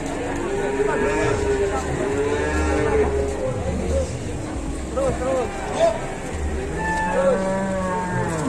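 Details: Several cattle crowded onto an overloaded truck in Indonesia give long, steady moos and shorter bent calls, overlapping one another, with men's voices and a low rumbling drone in the background.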